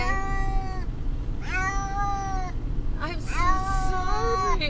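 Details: Domestic cat, a male, distressed during a car trip to the vet, giving long drawn-out harmonic meows, three calls with slight rises and falls, over steady low vehicle rumble.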